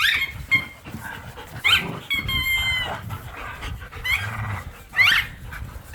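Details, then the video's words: Pit bulls and a Malinois wrestle over a squeaky toy in a backyard game of tug of war: low rumbling growls run beneath sharp, high toy squeaks that come in short bursts every second or so, with a few breathy snorts. "The Sounds of Snarling, Growling and Squeaking"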